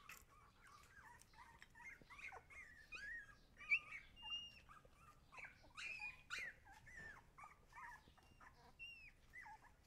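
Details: Siberian Husky puppies giving a busy stream of high, thin whimpers and short yips, many sliding up or down in pitch, overlapping at about a hundred calls a minute at a soft, low level.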